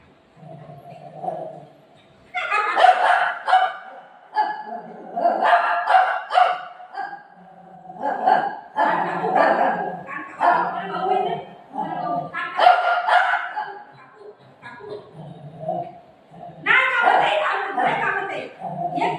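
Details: Golden retriever playing at home with its owner, giving short loud barks and yips in uneven bursts every few seconds, mixed with the owner's talking voice between and over the barks.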